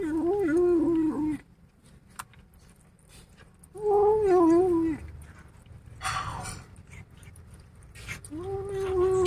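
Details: Angry kittens guard their meal with three long, loud, warbling growls, each about a second. They waver in pitch with strong harmonics and come a few seconds apart, with scuffling noises between them.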